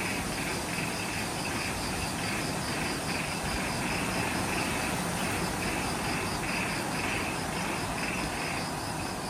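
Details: Twilight jungle insects on Ishigaki Island, Okinawa, Japan, recorded just after sunset near the Mount Omoto trailhead; rapid rhythmic chirping, about two or three pulses a second, rides over a steady high-pitched drone and low background rumble.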